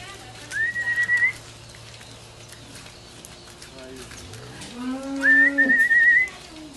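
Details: Cattle at an auction, a lot of three cows: one low, drawn-out moo that rises and then holds steady for over a second, with short trilled human whistles before and after it.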